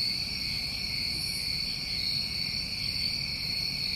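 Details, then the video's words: Continuous high trilling of New England summer crickets, steady and unbroken across layered pitches, with one faint airy burst and quiet low background noise. "Tinnitus Masking With Crickets"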